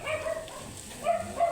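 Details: Angry Shih Tzu with matted coat during grooming lets out drawn, whiny barks, one longer held note followed by two shorter ones, against a faint background hum.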